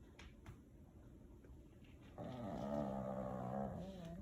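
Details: A Pekingese snores in his sleep, quietly at first, then with a loud, harsh, rattling, buzzy nasal rumble that holds steady. He is always this noisy when sleeping and can sometimes be heard from another room.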